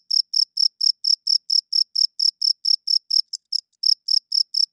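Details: Night-time cricket chirping: a rapid series of pure, high-pitched chirps at roughly four per second, with a short irregular break partway through, against a silent backdrop.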